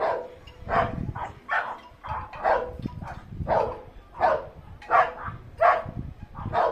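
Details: Pet Chihuahua sharing a home with another dog, barking steadily in short, clipped yaps, roughly one or two each second without a pause, with soft rustling underneath.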